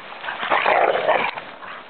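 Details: Angus, a dog who loves rough play, playing with other dogs: a dense burst of short, high yips and whimpers lasting about a second, then trailing off into softer scuffling sounds.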